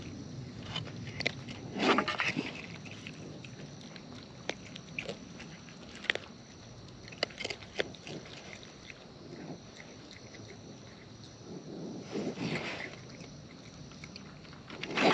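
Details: Wild raccoons eating close up, with wet, crunchy chewing and biting noises in irregular bursts, louder smacking around the second and twelfth seconds, and soft rustling between bites.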